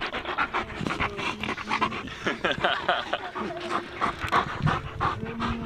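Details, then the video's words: One of two German Shepherds out on a beautiful day, panting fast and breathily in a steady rhythm, with brief faint whines and some soft human voices behind. "German Shepherds"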